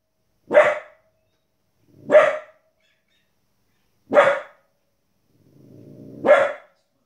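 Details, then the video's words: Fifteen-week-old female Border Collie puppy barking at wolves and other animals on TV: four short, sharp barks about every two seconds, with a stretch of TV narration about birds feeding chicks just before the last bark. "Border Collie puppy Barking at TV"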